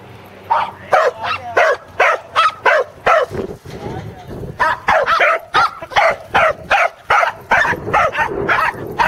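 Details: Two corgis, Teddy and Jack, on their second sheep-herding attempt at Island Crossing Farm in Arlington on 3/27/11, bark in rapid, uneven bursts of sharp yaps, about two or three per second, with some human voices in the background.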